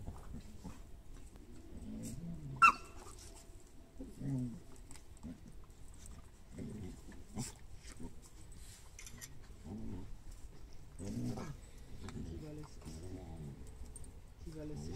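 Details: Glen of Imaal Terrier puppies Alma and Aivy from the A litter romp in a garden with their mother Keva and grandfather Jake. Low, rumbling play growls and grunts come in short bursts, with a brief sharp yelp and a murmur of voices.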